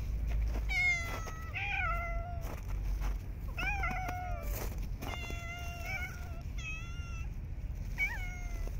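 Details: Homeless street cats being fed in snowy winter; a rapid series of clear, tonal meows, several falling at the end, one wavering, with brief clicks and steady low background hum between calls.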